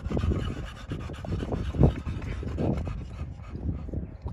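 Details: Male pocket-type American Bully at a Romanian kennel breathing hard, louder uneven huffs with a sharp burst near the middle, deep low thumps mixed in.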